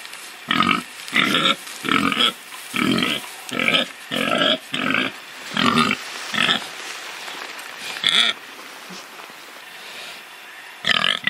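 A pig gives a quick series of harsh, nasal grunts, about one every half second.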